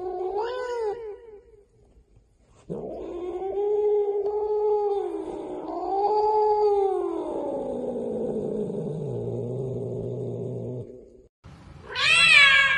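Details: Cat meowing into a karaoke microphone: a short meow, a pause, then one very long wailing meow that wavers up and down before sinking lower, ending with a sudden high sharp meow.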